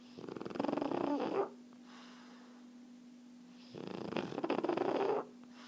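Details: Erna the French Bulldog dozing, two drawn-out raspy snores roughly every three and a half seconds, fluttering and vibrating through each breath, separated by quiet pauses with a faint steady hum.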